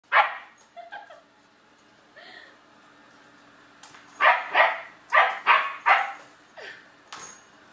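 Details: German Shepherd puppy barking at a robotic vacuum after being scared by it; a few soft early yips, then a burst of five sharp barks in quick succession and a final quieter bark, indoors.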